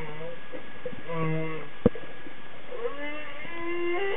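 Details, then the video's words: A humpback whale's song phrases: a low droning moan, a sharp click partway through, then wavering tones that slide upward into higher, whine-like notes against constant underwater hiss. "A little song by a humpback whale"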